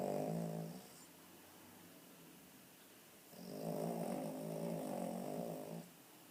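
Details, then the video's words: Female Cavalier King Charles Spaniel weighing 9 kg, a little overweight, snoring as she sleeps with her eyes open: a short rattling snore, a quiet pause, then a longer rough, buzzing snore of about two and a half seconds. "Mon chien ronfle les yeux ouvert"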